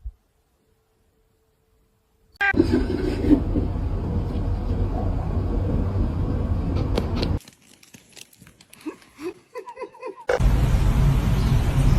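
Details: Silence, then a loud rumbling engine-like drone, a quieter stretch of clicks and thin tones, and the rumble returning near the end.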